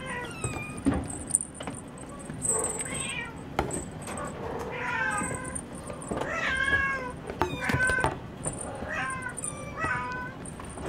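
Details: Munchkin kittens born January 2015 at a cattery, lively and playing at five in the morning, give repeated high harmonic meows, some rising then falling, overlapping each other, with clicks and light rattling from play in the background.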